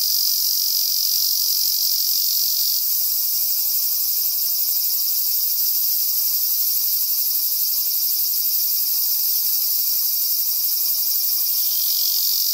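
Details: Male Ezo cicada singing on a cloudy day in a season of heavy rain, a loud continuous high-pitched buzzing drone with steady rapid pulsing, shifting slightly in pitch partway through; nothing else audible.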